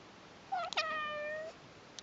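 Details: Persian cat meow from a household with newborn kittens, a brother and sister, and their mother on the kittens' first day: one drawn-out, rich harmonic meow lasting about a second, falling at first, then holding steady, in a quiet room.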